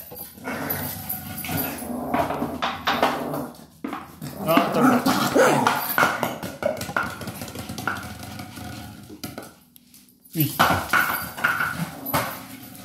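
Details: Sora, a pet Maltese, tussles with a plastic bottle for stress relief, giving repeated throaty growls and short grumbling bursts, with sharp crackles of plastic, a brief pause, then more growling over people's voices and laughter.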